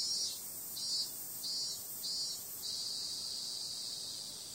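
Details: High, shimmering cicada drone on a summer night, throbbing in regular pulses about every half second for the first few seconds, then flattening into a steady, unvarying hiss.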